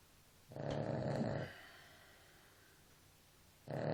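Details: A sleeping dog lets out a single rough, buzzing snore of about a second, then breathes quietly. Another snore starts just before the end.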